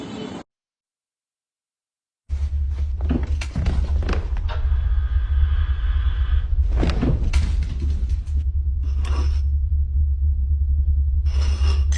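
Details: After a short silent gap, a heavy low rumble and background music carry on, broken by thuds and clatters, with no clear animal calls.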